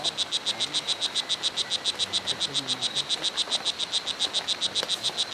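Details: Wild strawberry poison dart frogs (O. pumilio) at Hitoy Cerere Biological Reserve, Costa Rica, in various colour morphs; a rapid, highly regular buzzy chirping, about 3–4 notes per second, high-pitched and steady throughout, over soft forest background.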